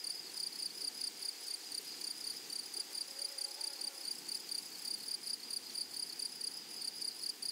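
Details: Grasshoppers in a flowery meadow or prairie: a steady, thin, high-pitched whine sustained throughout, with a fainter even higher tone above it and a gentle rhythmic pulsing, no other clear sounds.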